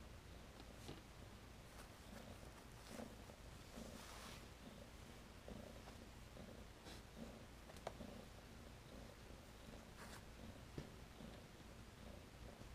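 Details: Tennessee Rex kittens born April 2015, satin-coated, rexed and long-haired, purring softly indoors: a low, steady rumble pulsing about twice a second, with scattered faint clicks and rustles above it.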